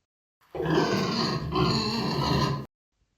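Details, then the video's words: A pig gives one long, rough, raspy grunt of about two seconds, with a brief catch in the middle. "now let's listen to the pig sound [Music]"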